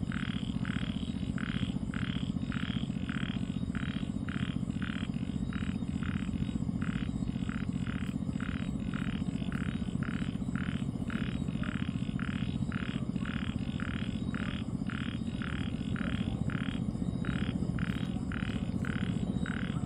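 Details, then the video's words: Small frog heard on a quiet night, a long unbroken run of brief croaks, regular and about two or three per second, with a steady low hum beneath. "con nhái .. tiếng nhái kêu buồn trong đêm vắng"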